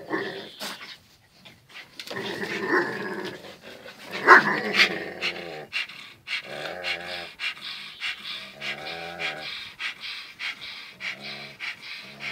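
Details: Zion and Tyson, two dogs, locked in their everyday fierce tussle; rough growls rise to a loud snarl, then give way to rapid rhythmic rumbling growls and panting in an indoor room.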